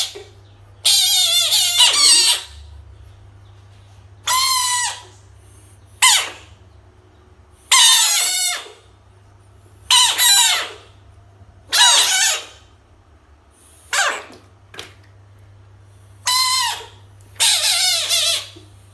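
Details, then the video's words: Frog confronted with toys, screaming in loud, harsh, broadband bursts of about one to two seconds, each with stacked harmonics and a falling tail, roughly nine screams separated by short pauses over a steady low hum. "screaming frog frog sounds-noise"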